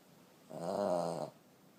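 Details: One long, rattling, harmonic snore of nearly a second from a sleeping 14-year-old female Boston Terrier indoors.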